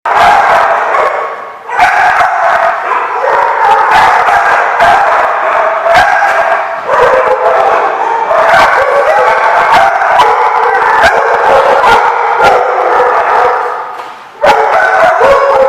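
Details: Many dogs barking together at a dog facility on 27 April 2015, a dense, almost unbroken chorus of overlapping barks with sharp individual yaps throughout and two brief lulls.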